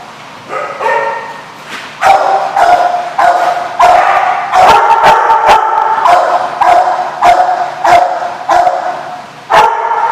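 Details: Dog barking, recorded 7/3/15: loud sharp barks repeated irregularly, roughly one a second, some doubled, over a continuous tonal whine and background hum.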